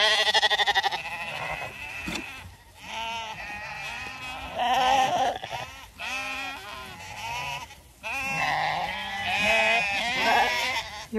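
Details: Lambs on a regenerative farm in County Kilkenny, Ireland, gathered around the farmer and described as filling out beautifully; loud, quavering bleats from several animals overlap and follow one another closely, with soft music underneath.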